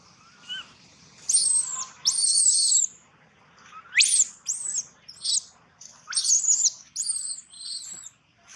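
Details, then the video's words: Baby monkey crying loudly: piercing, high shrill screams sweeping upward, in bursts of about half a second to a second, separated by short quiet gaps, with softer rising squeals in between. "Poor baby monkey Gino crying sound loudly a long time till Quiet"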